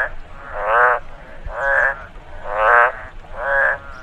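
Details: After rain in a rice field, a frog gives four rasping, pulsed croaks spaced roughly a second apart, each swelling and fading, with a soft hissing background.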